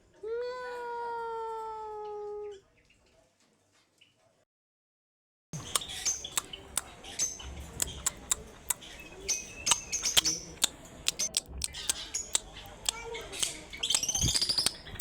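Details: A domestic cat gives one long, steady meow lasting over two seconds, followed by silence and then a stretch of sharp clicks, taps and rustling noise.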